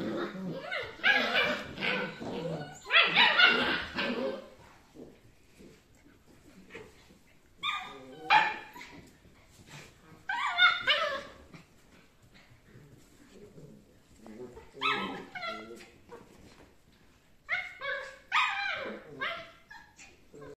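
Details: Rough Collie puppies, seven and a half weeks old, give bursts of high, shrill yelping barks and squealing whines, clustered near the start, around eight and ten seconds, then again at fifteen and eighteen to twenty seconds, with quiet gaps between.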